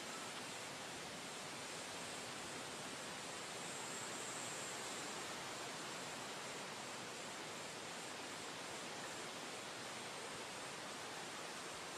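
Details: Constant broad hissing rush like rushing water or wind, steady throughout, with no animal voice heard.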